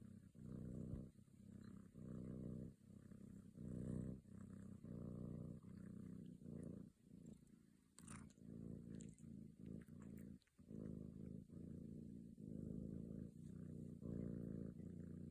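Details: Kitten Lucy purring while kneading and yawning: a steady low rumbling purr in rhythmic phrases that follow each breath, separated by brief pauses, with a short brighter sound near the middle.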